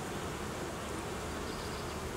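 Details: Many honey bees humming together during reorganisation of a colony that had raised queen cells, in cooling weather; an even, continuous droning buzz without pauses, strongest in the lower-middle range.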